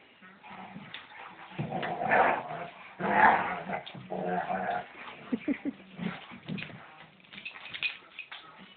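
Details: Two pet German Shepherds, an adult female and a younger male, play-fighting as the female finally shows him who's boss: rough growls, grumbles and short yelping bursts, loudest around two to three seconds, with a person talking and urging them on throughout.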